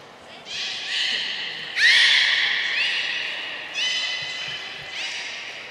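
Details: Whole group of belugas training at Port of Nagoya Public Aquarium on 2 April 2023; overlapping squealing whistles with quick upward sweeps, several entries within a few seconds, ringing in a large indoor hall.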